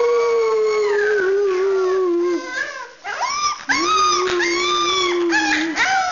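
Rottweiler puppies howl in long, drawn-out, slightly wavering tones that slowly fall in pitch.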